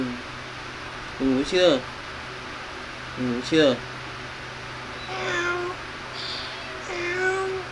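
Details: Cute kittens playing and feeding: two loud, harmonic meows rising in pitch arrive close together, a second pair follows two seconds later, then softer, higher thin mews trail off near the end over a steady low hum.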